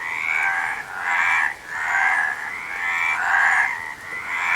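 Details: A few seconds of frog croaking: drawn-out, buzzy, rattling calls, about one per second, with brief quiet gaps between them.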